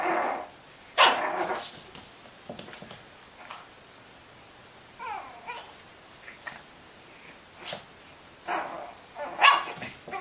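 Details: Pug puppies indoors in a small room, letting out scattered sharp yips and short barks at uneven intervals, with a brief whiny rising squeal midway and quiet gaps between.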